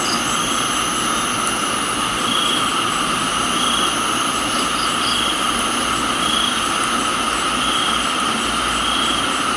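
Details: Crickets in a tropical garden in Thailand, mixed with rain: steady high droning insect bands, with a brighter buzzy pulse swelling roughly every one to two seconds, all over a constant hiss of falling rain.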